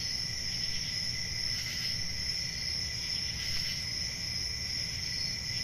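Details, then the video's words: Summer-night crickets trill in an unbroken, high-pitched wall of sound. A gentle pulsing beats about once per second within the two ringing bands, and a faint low hum lies underneath. "10 Hours Relaxing Cricket Sounds For Sleep Ambient Summer Night"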